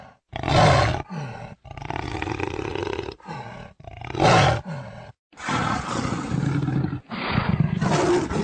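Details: Jaguar giving deep, rough roaring grunts in separate bursts of about a second each, broken by short silences, roughly five heavy rasping pulses over eight seconds.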